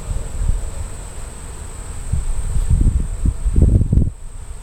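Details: Honey bees at a hive near Huntington's Headquarters in Valley Forge National Park on a warm Indian-summer October afternoon; low droning buzz swelling in short passes toward the end over a steady low wind rumble.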